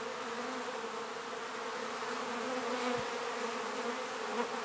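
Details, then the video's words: Busy honey bee hive entrance at a north London apiary in midsummer, workers carrying pollen and nectar; continuous low humming drone of many bees, one bee briefly buzzing close near the end. "LONDON BEE HIVE busy at the hive entrance in mid summer"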